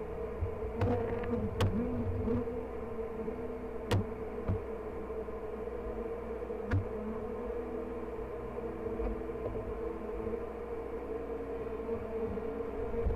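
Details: Hive check at "The Mountain" on 22/6/29 with honey bee colonies packed with honey and brood, queen seen: a continuous, level buzzing drone, punctuated by a few sharp clicks and taps from frames being handled.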